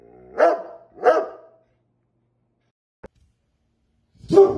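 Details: Rottweiler barking: two short, clipped barks in quick succession, a long silence with a faint click, then a third bark at the end.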